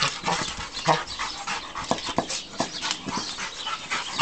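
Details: A three-year-old male stud Rottweiler, 120 pounds, huffs and pants in short, breathy bursts with a few thin whimpers, worked up while playing with his toy brick.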